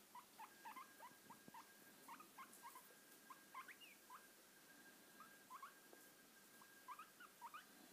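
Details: Guinea pig on a lap squeaking in quick clusters of short rising wheeks, sharp and whistle-like, separated by brief pauses, over low rustling and a thin constant hum.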